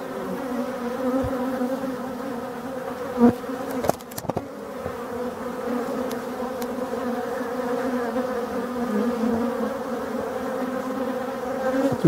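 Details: A dense, steady hum of many male dark honey bees, drones invading forest hives, buzzing together loudly around the hive entrances.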